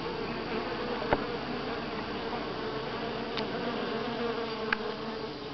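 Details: Steady droning of honey bees at Grass Lake Sanctuary, week 6, recorded July 25, 2011. The low harmonic hum stays even and unbroken, with a couple of brief clicks near one second and late in the recording.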